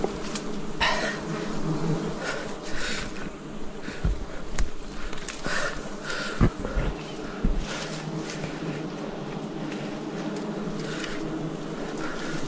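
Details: Forest honey harvest in 2026 with wild bees buzzing in a thick continuous low hum, punctuated by sharp taps, cracks and rustles from handling the comb.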